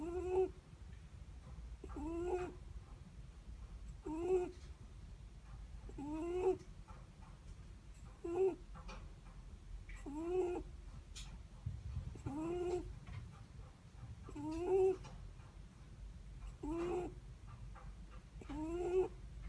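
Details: Steady snoring of a sleeping Netherland Dwarf rabbit: a regular train of small nasal whistles, slightly upswept and breathy, recurring about every two seconds through the whole stretch, with faint low background hum.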